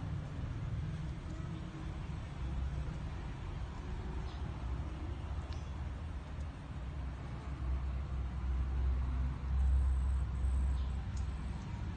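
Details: Continuous low rumble like passing vehicles, with a few faint high clicks and no animal sounds.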